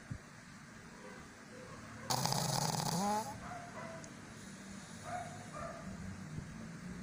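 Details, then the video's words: Pug asleep and snoring, with soft low breathing broken by one loud, rough snore lasting about a second that ends in brief rising whistly tones, followed by faint nasal squeaks. "Dog Snoring/funny pug video"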